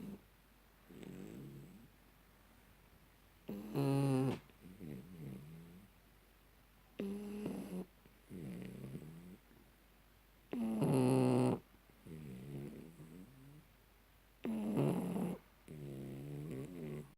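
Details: Tyson, a shar pei, dozes off snoring after an ear cleaning; harsh, loud inhaled snores every three to four seconds alternate with quieter, lower wheezing exhales in a quiet room.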